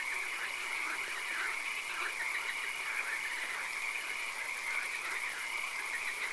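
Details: Night swamp frog chorus, with occasional rain in the setting: many overlapping rhythmic croaks in quick succession form a continuous throbbing layer, backed by an unbroken high-pitched whine and hiss.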